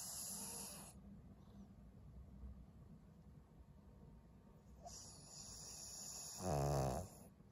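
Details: Snores of Maria, an elderly fawn Pug bitch of 12 living in Japan, recorded in February: hissy breaths at the start and end, then a louder, deeper rumbling snore near the close.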